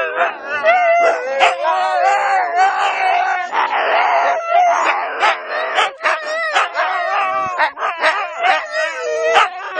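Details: Two Siberian huskies howling together before training, wolf-like: long wavering tonal howls that rise and fall and overlap, with short yelps and breaks between, continuous for about ten seconds.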